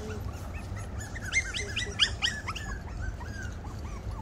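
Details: Havanese puppies at play outdoors, giving high, squeaky yips and short barks in an irregular burst of overlapping calls over a low rumbling background.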